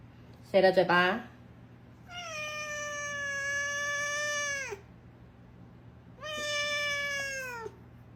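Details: Cat with an attitude problem, indoors, letting out a brief harsh burst followed by two long, steady, moaning yowls, the first about two and a half seconds and the second shorter, each tailing off downward, over a low steady hum.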